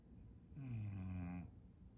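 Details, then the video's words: Bulldog snoring at naptime indoors: one long, rasping, droning snore of nearly a second, with low rumbling tones and a faint buzzy overtone, set against quiet room noise. "Tongue, Snores, Bulldog Naptime"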